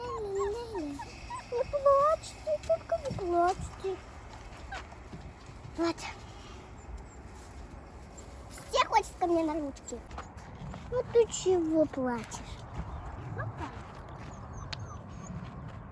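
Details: Rescued wild wolf pups calling: wavering, thin howls that rise and fall open the recording, followed by scattered clicks and, later, bursts of sliding descending whines, with low steady rumble throughout.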